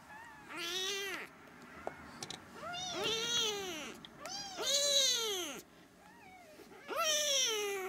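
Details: Loud, insistent meowing from three-week-old Siamese kittens: strong, bright, arched cries of about a second each, repeated roughly every one to two seconds, some with a rising start and a falling end, in a quiet room.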